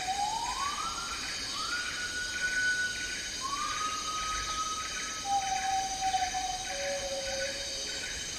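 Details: Agile Gibbon calling in tropical rainforest in Malaysia: long sustained whistled tones, each pitched lower than the one before, stepping down across the clip over a pulsing chorus of insects.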